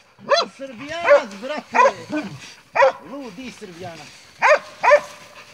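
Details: Montenegrin Mountain Hounds from kennel 'Sutorman' hunting wild boar: scattered harmonic barks and drawn-out bays in uneven bursts, mixed with excited voices of hunters.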